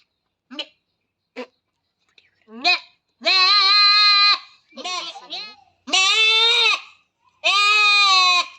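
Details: Goat under artificial insemination on a goat farm: a few short nasal bleats, then several long, loud, quavering bleats, each lasting about a second, in quick succession.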